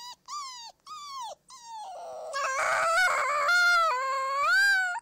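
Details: Howling wolf pups: three short clear wails, then several voices overlap into a dense, rising chorus of held tones that wavers and swells toward the end.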